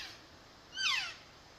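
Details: A lone elk calf lost from its herd gives one high, squealing mew that slides downward as it calls for its mother.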